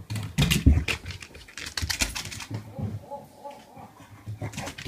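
A French Bulldog greets its owner with rough, snorting grumbles and short throaty bursts.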